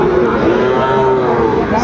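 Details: Sahiwal cattle, including young bulls, at Aftabganj cattle market in Dinajpur, Bangladesh, early in the trading day on 2 September 2025. A sustained, level moo runs almost the whole stretch beneath crowd noise and faint vehicle sounds.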